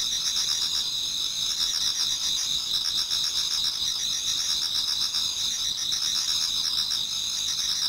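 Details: Towards dawn in autumn, many insects in a Japanese garden keep up a dense shrill chorus: sustained high trills plus fast repeated chirping pulses, steady in volume.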